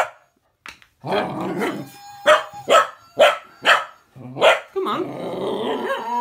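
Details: Female cocker spaniel puppy reacts to a Gizmo toy's trademark whistle with rumbling grumbles, then a string of five sharp barks, ending in a drawn-out grumbling, growly howl.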